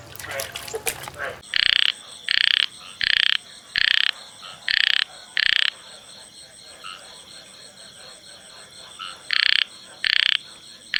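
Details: A male frog in a field gives loud, harsh, rasping croaks repeated in a quick series, then pauses and resumes.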